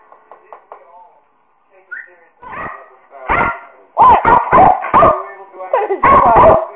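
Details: Two American Eskimo Dogs making loud, clipped barks and yips in quick bursts, mixed with a person talking and softer whines.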